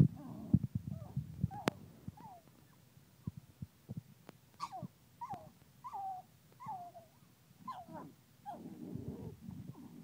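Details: Trying to get to the bottle, an angry pug whines in brief, pitched cries roughly every second or so, fairly irregular, over low background rumble and a few sharp clicks.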